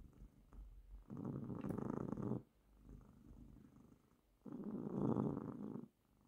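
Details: Domestic cat purring while resting on its owner's lap: a low, buzzing rumble that swells into two louder bursts lasting over a second each, separated by a quieter, softer purr in a small quiet room.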